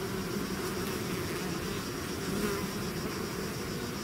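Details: Swarm of bees outside their hive making a steady, thick droning buzz, many wings humming together at an even level for the whole few seconds, with faint individual whines rising above the mass.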